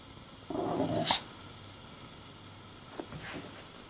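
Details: English Bulldog indoors building a nest out of laundry and objecting to the camera. A single short, rough, growly bark lasts under a second, followed by faint rustling and quiet room noise.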